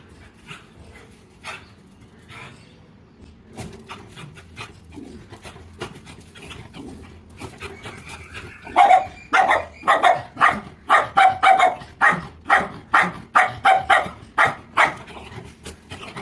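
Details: Dog barking in a rapid run of sharp, harsh barks that begins after a quiet first half and repeats about twice a second until the end, with faint background noise beneath.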